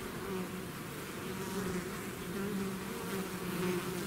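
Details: A honeybee swarm out of its hive fills the air with a continuous, steady low buzzing hum, its tone wavering slightly as many wings beat together; no other sounds stand out.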